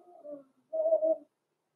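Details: Six-week-old blenheim Cavalier King Charles Spaniel puppies, Roman and Blue, born November 14, 2022, in an indoor puppy pen; two short tonal whimpering cries, the second longer and steadier, in an otherwise quiet room.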